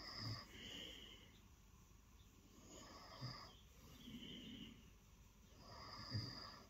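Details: Lilo, a pet cat, purring during early morning snuggles on the bed while wanting attention; soft rhythmic breathy purr with a low pulsing hum and hissy upper tones, swelling roughly every three seconds.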